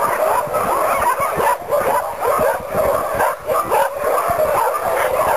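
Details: Many sled dogs at a summer dog sled camp bounce and clamour to run. Their high, excited yips and barks overlap into a continuous din, swelling and dipping briefly every second or so.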